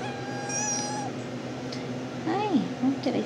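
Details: RagaMuffin kitten named Puss, one of the Shrek litter at 10½ weeks, sleepy indoors after a nap; high thin mewing early, then short curving meows near the end over a woman's soft talk and steady room hum.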